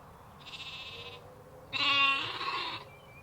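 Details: Sheep and lambs in an outdoor ambience: a soft, short bleat followed by a louder, harsher, drawn-out bleat lasting about a second, over a quiet background hiss.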